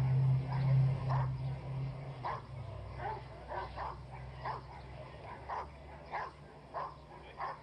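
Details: Rottweiler male Castor vom Hause Sviatecki during a temperament test, barking in a steady series of sharp, loud barks roughly every half second, with a low droning hum underneath for the first two seconds.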